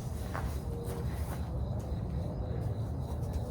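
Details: Outdoor farm rumble dominated by low wind or engine noise with a few faint brief sounds, and no clear animal call.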